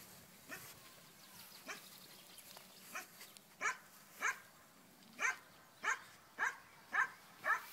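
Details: Black German Shepherd during tracking training outdoors, in a puppy training setting: about ten sharp, short barks, sparse at first and then quickening to roughly one every half second toward the end, over a quiet rural background.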